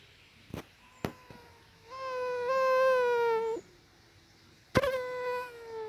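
A mosquito's steady, high whining buzz drifts in twice, with a few sharp clicks beforehand.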